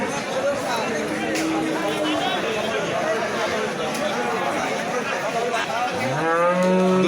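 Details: A pregnant cow gives a single rising, harmonic moo near the end, heard over a steady loud din of crowd chatter and background noise.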